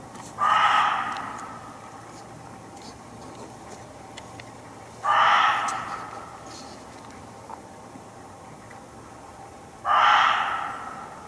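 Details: Muntjac, or barking deer, hidden in undergrowth in a Hertfordshire forest, heard close by on a walk: three loud, harsh single barks spaced about five seconds apart, each a short hoarse burst, with quiet woodland background between.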